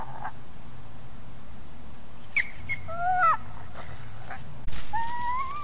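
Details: Coyotes interacting at the Hallam Lake preserve, recorded by trail camera: a few high rising and falling whines, a short sharp knock, then a louder rising whine over hissing background noise.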